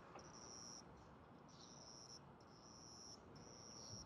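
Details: Young cricket caught and kept indoors, wings spread as it sings, a call said to be made in territorial disputes: high, steady buzzing trills in bursts of about half a second to a second, repeated with short gaps, quiet room.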